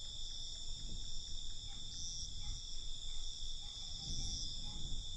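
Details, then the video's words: Night crickets giving a continuous high shrill trill, with a low murmur and rumble underneath that rises and falls over the short stretch. "Night Cricket Sound"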